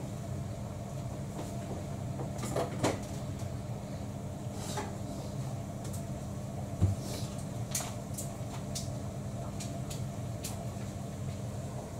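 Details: Indoor room with a steady low hum, scattered clicks and clatter like a cupboard or dishes, and one sharp knock near seven seconds, no meows heard.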